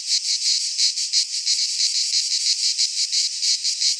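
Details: Cicadas singing in midsummer in a Greek pine forest: a dense, continuous high buzzing chorus, pulsing rapidly about three times a second, with no other sounds.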